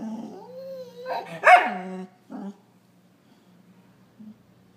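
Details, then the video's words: Attention-seeking dog gives a rising and falling whine ending in a sharp, loud bark-like yelp, then a short low grunt and a faint whimper in a quiet indoor room. "Dog crying for attention"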